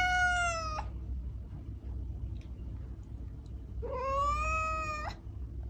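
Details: A cat meows twice, about three seconds apart, to draw cats near. The first call is level and ends sharply. The second is slightly longer, starting low, lifting and then holding steady, all over a continuous low background rumble.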